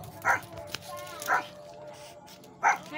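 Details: Shih Tzu named Gabby, a mother with two newborn puppies, indoors: three short, sharp barks at roughly even spacing over three seconds, each a brief bright burst, with faint background noise between them.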